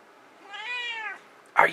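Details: Indoor pet cat, asked by its owner to be loud: a long, strong meow that rises slightly and then falls, lasting about two-thirds of a second, followed by a short burst of the owner's voice.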